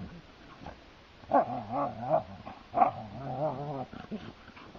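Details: On a heath, two pet Siberian Huskies tussle playfully, giving a run of rough, undulating growls and snarls in quick overlapping bursts for about three seconds, with a short muffled grunt after.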